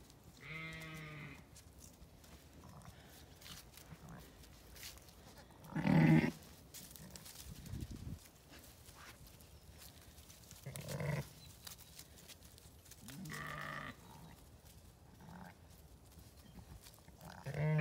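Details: Zwartbles sheep in a paddock on a farm in County Kilkenny, Ireland, where ewes were turned out with their lambs; a ewe bleats with harmonic, wavering cries, the loudest near six seconds, with several other bleats spaced through the clip and faint background noise.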